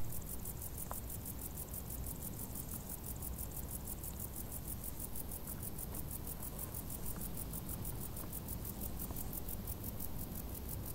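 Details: Crickets in tall grass during hot summer, a steady high-pitched trill of rapid, evenly spaced pulses running without pause over a constant low rumble, with a few faint ticks.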